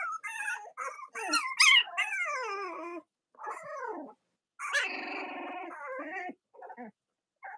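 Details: Several Cavalier King Charles Spaniel puppies, litters of Robin and Myra, whining and squealing in overlapping bursts, with descending wavering cries and sharp yips, then quieter gaps.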